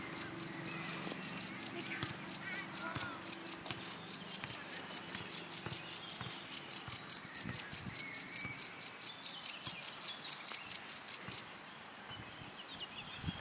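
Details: Cricket calling from grass: an even series of crisp, shrill chirps at about two and a half per second for roughly eleven seconds, then it falls silent.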